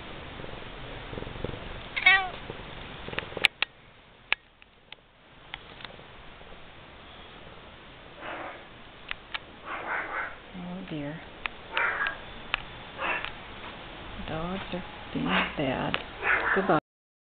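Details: Vocal pet domestic cats indoors, with dogs also in the house; a run of varied meows, some high and kitten-like, others lower and drawn out, coming closer together toward the end over soft household noise.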